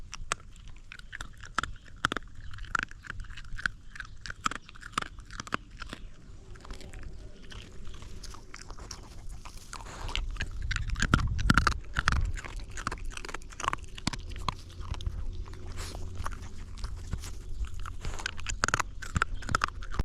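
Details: Young hungry dog gnawing its food, recorded very close: dense crackling and crunching bites, irregular, roughly one to two per second, with loud bursts of teeth on food and a low rumbling background in a small indoor space.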